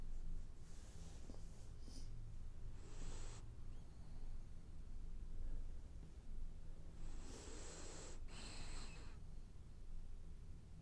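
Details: French bulldog snoring while it dreams: two long, hissing, rasping breaths, one near the start and one later, each with a bright airy edge, over a steady low hum.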